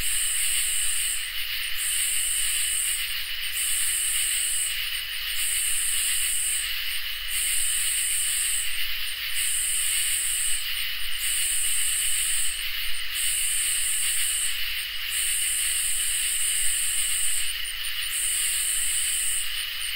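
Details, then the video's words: Crickets and katydids in a summer night chorus: steady high-pitched trilling bands underneath, with sharper, higher buzzy bursts pulsing on and off about every two seconds, steady throughout, no other sounds. "Crickets and Katydids in Summer | Ambient Night Chorus"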